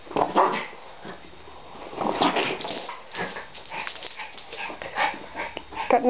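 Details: Schipperkes Nikki and Justice playing together indoors, chasing a plastic bottle; short sharp barks and yips come in bursts roughly every second, over scrabbling paws and rattling plastic.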